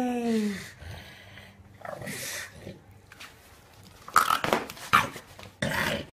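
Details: Bulldog, upset at having a life vest put on, gives a falling, harmonic whine at the start, then quieter dog noises among handling clatter and bumps; a person speaks softly nearby.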